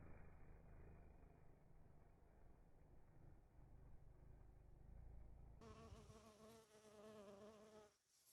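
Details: Bees buzzing among rose flowers, filmed in slow motion: a steady harmonic wingbeat drone that wavers slightly, following a stretch of low rumbling.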